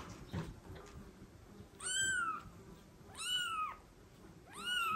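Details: Mother cat meowing to the father cat as she brings her kitten to him for care; three clear arched meows, each rising then falling, spaced about one and a half seconds apart over a quiet indoor background.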